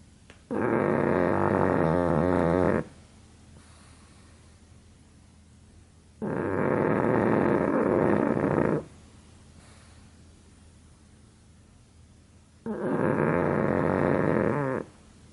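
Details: Sleeping pug snoring indoors: three long, loud rasping breaths, each about two seconds, separated by quiet pauses of three to four seconds, with a rough buzzing texture.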